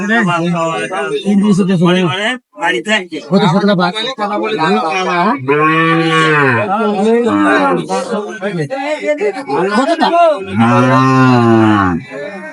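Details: Young Sahiwal bulls and heifer calves bought by a Narsingdi farmer, Bangladesh, 1 June 2025; two long, low, drawn-out moos near the middle and end, amid loud overlapping men's voices bargaining.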